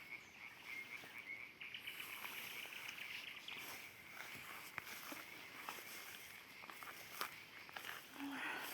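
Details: A dense frog chorus at about 9:30 pm in a ditch beside a garden near a forest edge in Ukraine. A steady rattling trill with overlapping croaks, with a nightingale singing and faint human sounds nearby.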